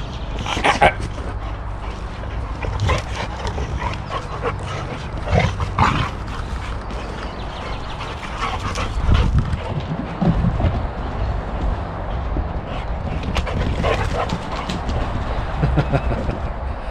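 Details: Boxer dogs in rough play, an adult named Rex challenged by a growing puppy named Sammie; repeated growls, snorts and short yips over scuffling and panting, with sharp bursts through the clip.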